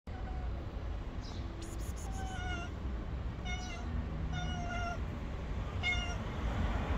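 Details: Stray cat on the street waiting to be fed, wary of a person but not fleeing; a few fainter harmonic meows scattered through the recording, partly masked by heavy low-frequency rumble.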